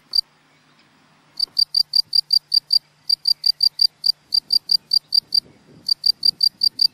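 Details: A male field cricket (Gryllus campestris) sings pure, high chirps in quick regular bursts at his burrow to attract a female, before switching to courtship song.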